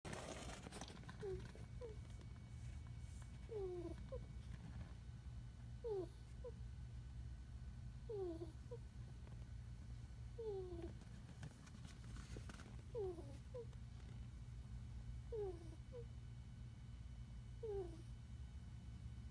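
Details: A sleeping puppy gives a squeaky snore: short high, falling squeaks, each often trailed by a fainter second squeak, returning roughly every two to two and a half seconds over a steady low indoor hum.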